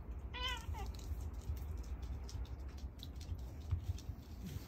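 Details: Pet cat pleading for more food after eating: one short rising-then-falling meow and a quick, fainter downward chirp right after, then a quiet indoor background.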